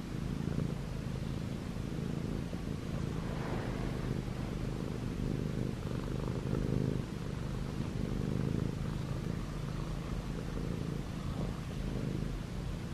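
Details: ChoBee, a six-month-old male white and gray Munchkin short-legged cat, purring while kneading on pajamas; a steady low rumbling drone runs throughout with faint rustling on top.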